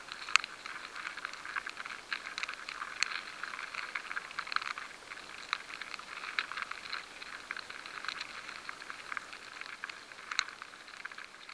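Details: Rye grain infested by grain weevil larvae produces a steady fizzing crackle of tiny scratches, with a few sharper clicks standing out, in a high-sensitivity recording.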